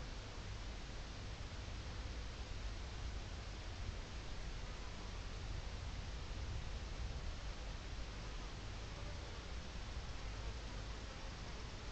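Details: Only a faint, even hiss and low rustling hum are heard, with no animal calls.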